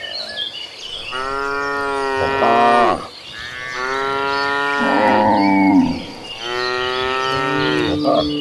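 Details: Gentle cows of a herd heading to green pastures give three long, loud, drawn-out moos in close succession, each rich and harmonic, bending in pitch toward the end; faint birdsong behind.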